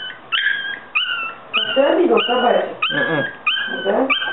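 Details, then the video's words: Loud, insistent squealing whines from Yorkshire Terrier puppies, each note starting sharply and holding a high tone, repeated roughly every half second, with low murmuring voices between the cries. "щенки/kutsikad yorkshire terrier"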